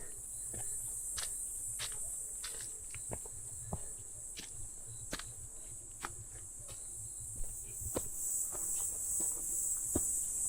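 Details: A steady, high-pitched chorus of grasshoppers or crickets on a quiet forest mountain trail (Heukseongsan) in early October, possibly with cicadas in the distance, and footsteps crunching along the path.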